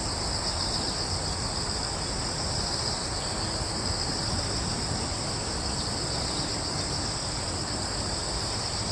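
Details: Crickets in a wood on Yeongjong Island, Korea: a steady, dense high-pitched shimmer of continuous chirping in two bright bands, over a constant low rumble of distant background noise.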